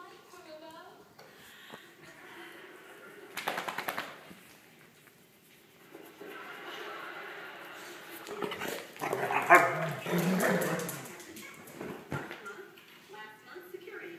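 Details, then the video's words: A pair of Weimaraner dogs at play. They give scattered grumbles, then a burst of rapid rough barking and noisy scuffling in the middle, followed by quieter whining noises. People talk faintly throughout. "Weimaraner's playing"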